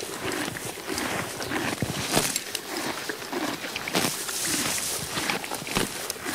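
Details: Horse eating grass, with irregular crisp tearing and crunching bursts of grazing and chewing, some louder rips, over a steady outdoor background hiss.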